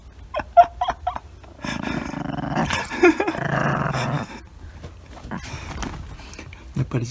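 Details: Indoor dog fight between a one-year-old female Miniature Dachshund and a ten-month-old female Pekingese-Chihuahua mix, one guarding its blissful time on a dog massager. A rough, snarling growl lasts about two and a half seconds amid scattered clicks and soft human voices.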